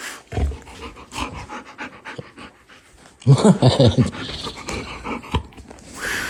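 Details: A pet dog indoors in a small room, snorting and panting in quick ragged breaths with low huffs, followed by a burst of louder snuffling; a person sighs and speaks nearby.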